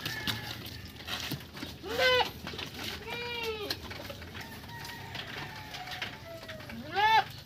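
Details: Purebred Anglo-Nubian buckling bleating while being bathed: several wavering, nasal bleats, each rising then falling, one near two seconds, a longer one near three seconds and a loud one at the end, over a steady background hiss.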